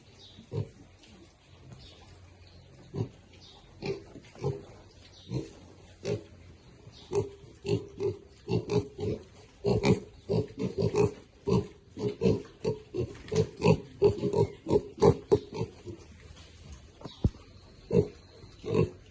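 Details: Piglets eating contentedly keep up a steady stream of short, husky grunts, more than one a second and growing denser toward the middle, with occasional sharp knocks.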